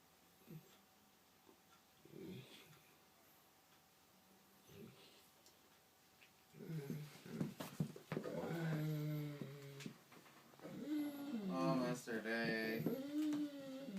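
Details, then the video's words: A pet Mastiff making funny sounds. Soft short grunts come first. Then a long run of loud, drawn-out whining moans with wavering, rising and falling groans fills the rest of the recording, and a person speaks briefly at the end. "My Mastiff making funny sounds"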